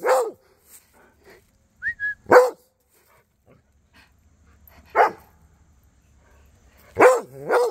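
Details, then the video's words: Rhodesian Ridgeback dog barking while chatting with neighbour dogs: five sharp, loud barks spaced irregularly over eight seconds, plus a brief high whistle-like squeak midway. "Cody The Rhodesian Ridgeback Was Chatting With Duchess & The Neighbor Doggies!"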